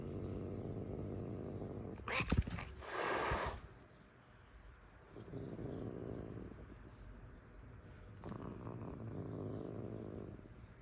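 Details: Angry cat: a harsh, broad hissing rush lasting over a second, then two stretches of low, rumbling growl separated by quiet pauses.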